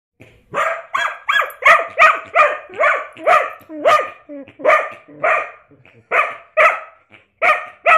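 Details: Pet dog barking excitedly in reaction to a person making armpit fart noises: a rapid run of about fifteen sharp, mid-pitched barks, roughly two per second, with brief squeaky sounds among them.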